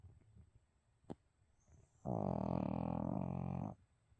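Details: Pet dog Abel asleep and snoring indoors, said to jump up when snacks are mentioned; one sustained, low, rasping snore of about one and a half seconds in an otherwise quiet room.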